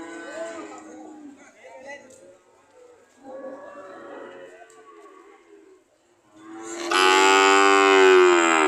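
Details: Cows ready to leave: quieter low murmurs and indistinct sounds at first, then one loud, long, strongly harmonic moo rising and holding through the final two seconds.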